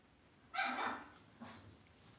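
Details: Cavalier King Charles Spaniel puppies raised indoors in a home puppy pen; one short high yipping bark with bright harmonics, then a fainter second yelp about a second later, quiet room behind.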